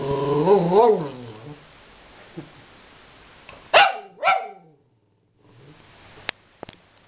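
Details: Aspen the dog, angry at its owner, opens with a wavering, whiny growl, then two sharp barks in quick succession, followed by quieter grumbling and a few faint clicks.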